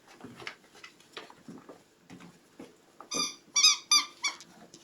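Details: Soft shuffling and muffled thumps, then a run of four or five piercing puppy squeals in quick succession, each short and bright, before fading back to rustling.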